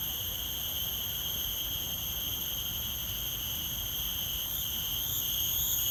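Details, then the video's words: Insects of the forest drone continuously in shrill, even tones stacked at several pitches. Near the end the highest notes begin to waver, and a faint low rumble runs beneath. "Sound Of Insects From The Forest"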